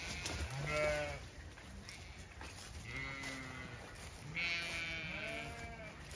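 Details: Several Zwartbles ewes on a regenerative farm in County Kilkenny, Ireland, chatty as their field is checked, calling three times in quavering, harmonic bleats spaced about two seconds apart, some overlapping, with light rustling behind.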